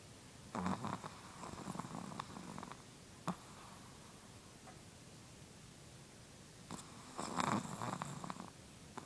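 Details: Chihuahua snoring in its sleep, two raspy snorts widely spaced, one near the start and one toward the end, with faint breathing and steady background hiss between.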